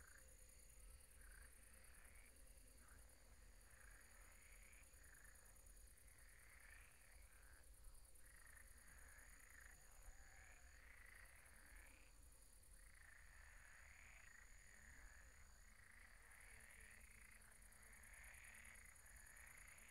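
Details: Nighttime pond frog chorus, many croaks overlapping in irregular bursts that swell and fade, buzzy and rasping, over steady low-pitched background rumble.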